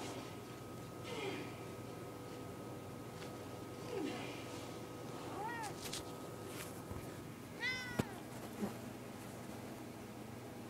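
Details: Domestic cat meowing indoors: faint early mews, then two clearer arched, rising-falling harmonic meows around the middle and late part, over a steady background hum with some clicks.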